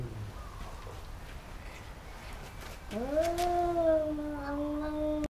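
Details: Fighting cats in Thailand, a pair that keep biting each other: after near-quiet, a long low drawn-out yowl starts at three seconds, rising then holding a steady wavering tone with strong overtones until the end.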